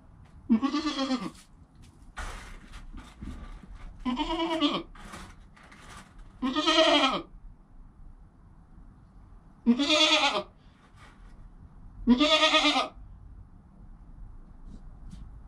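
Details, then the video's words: Joel, a goat kid filmed on a GoPro within the first hour of his life beside his mother Penny, gives five loud wavering bleats spaced two to three seconds apart, with soft shuffling between calls. "Baby Goat - One Hour Sound and Video"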